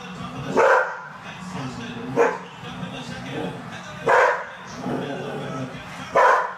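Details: Excited poodle indoors watching a horse race on TV, letting out four sharp, loud barks spaced about two seconds apart, with the race commentator's voice running underneath throughout.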